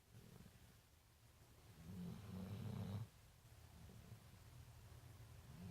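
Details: Marley, a big brown dog at The Funny Farm, asleep after a tiring night, lets out one long, loud, throaty snore, followed by softer low breathing.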